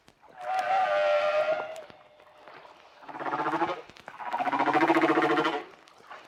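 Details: Hawaiian humpback whale singing in shallow water, so the deep-sea booming echoes are faint: a long wavering harmonic moan, then two pulsed, buzzy units with low rumbling bands, each lasting about one to two seconds.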